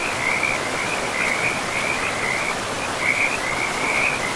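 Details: Frogs calling beside a river in a pristine forest: a steady run of quick, bubbling trilled phrases, one after another with brief gaps, over the constant hiss of rushing water.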